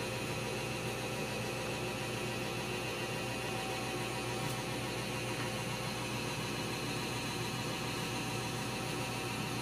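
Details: Constant electrical hum and static hiss run throughout, with no animal voice.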